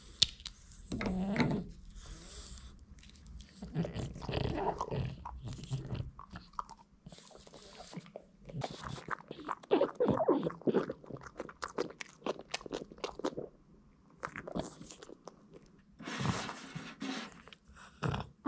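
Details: Boston Terrier Hiro working through hard duck-bone treats in a small room: steady crunching and smacking chews at a brisk pace, with occasional louder snaps and short pauses between bursts of biting.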